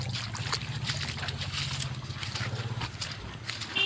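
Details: Droning engine hum over sloshing water, with faint voices and no animal calls.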